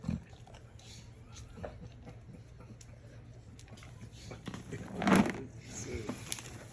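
A Tibetan Mastiff gives a rough, snorting grunt that sounds much like a pig.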